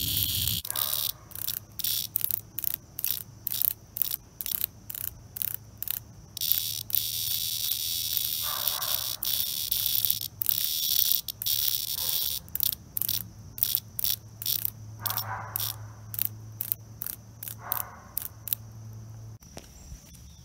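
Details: Cicada seized by a European hornet, fighting for its life: stuttering bursts of raspy, high buzzing, roughly two per second and irregular, with brief pauses and a faint low hum beneath.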